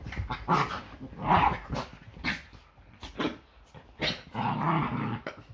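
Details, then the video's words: Yorkshire Terriers in morning play fights before breakfast; a series of snarling growl bursts, roughly one per second, ending in a longer drawn-out growl. "Yorkie ein ganz normaler Sonntag. Ein Tag beginnt immer mit mehreren Kämpfen"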